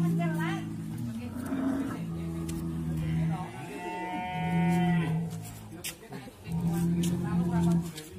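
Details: A raging sacrificial (qurban) bull gives deep, low, drawn-out moos in three bouts of one to two seconds each, with people talking and faint music in the background.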